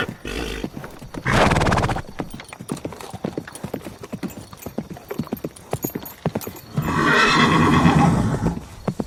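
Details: Horse with steady hoof clip-clops throughout, a loud rough breathy snort early on and a longer noisy whinny with faint tonal bands near the end.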